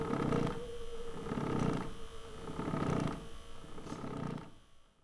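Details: Cat purring, a low rumbling sound that swells and eases with each breath about every 1.3 seconds, with a faint steady tone underneath, trailing off near the end.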